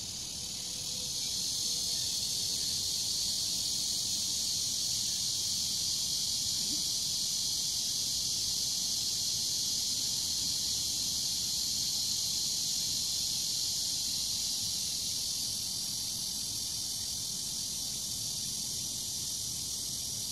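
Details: Summer cicada chorus in Bucheon Sosa Grand Park, Korea: a loud, steady, high-pitched buzzing drone fills the whole recording without pause, with only faint low background noise beneath.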